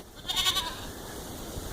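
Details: On a very windy day, a billy goat gives a short, wavering bleat, belly-aching after being separated from his doe, who is due within a week in her first pregnancy.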